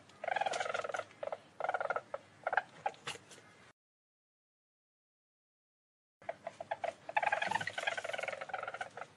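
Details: Least weasel giving rapid, clicky, chattering trills in irregular bursts, two bouts separated by a few seconds of silence.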